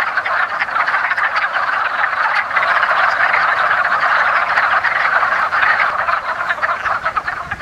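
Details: Wood frogs (Rana sylvatica) at a woodland pond in early spring, calling during their annual mating ritual: a dense, continuous chorus of rapid hoarse clucking croaks from many overlapping frogs, with no other clear sounds.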